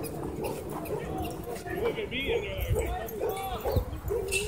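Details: Dog barking at a dog park where a German Shepherd and a Bull Terrier clashed: short, sharp barks repeated roughly every half second, with people talking over them.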